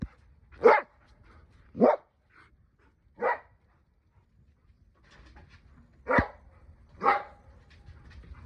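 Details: Haru, an Akita dog, gives five deep, full barks, three in quick succession, a pause, then two more about a second apart, in a quiet setting.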